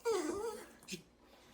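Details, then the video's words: Rion the Dachshund throws a fit indoors because his warmed food is too hot; he refuses cold food. A wavering, high, falling whine lasts about half a second, followed by a short muffled sound and quiet room tone. "짜증부리는 강아지 ㅣ 닥스훈트의 성질머리"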